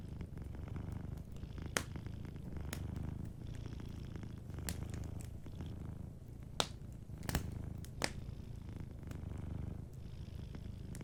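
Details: Sleeping domestic cat purring softly beside a fireplace: a steady low rumbling purr pulsing without pause, with sharp crackles and pops from the burning fire scattered throughout.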